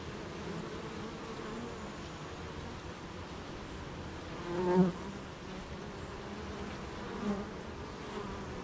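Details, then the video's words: Honey bees droning at the hive on a rainy morning while making honey, with gardens, farms and fields nearby; an even low hum, one bee buzzing loudly past the microphone midway and another briefly later. "Beehive RainyMorning"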